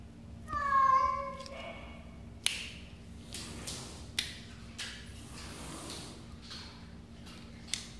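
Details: Pet cat indoors giving one clear meow lasting about a second, level then dipping slightly at the end. Afterwards come a series of sharp clicks and taps with soft shuffling noise in a small room.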